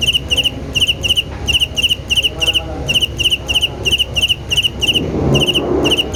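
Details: Cricket giving bright, pulsed chirps around two per second, with a brief pause mid-sequence and a low rumbling noise rising near the end.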